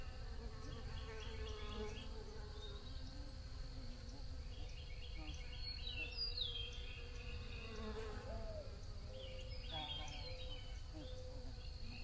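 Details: Bees giving a steady, low, droning hum with layered harmonics throughout. Small birds add rapid high trills and falling whistles, with a constant rumbling background.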